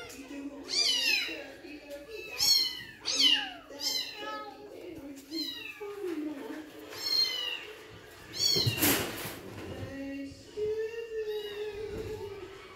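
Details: Male Bengal kitten, 7.5 weeks old, with a white collar, giving a rapid series of high, thin, falling mews in short bursts, with faint human voices and a brief rustling noise partway through.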